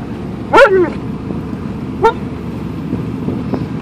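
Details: Alaskan Malamute in a moving car heading to the dog park gives two brief, bent yelps about one and a half seconds apart over a steady low road hum.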